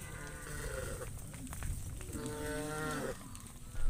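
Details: Cattle with their shepherds heading to the farm pen, giving two drawn-out harmonic moos about a second long each, separated by a short pause, over rustling and low rural background noise.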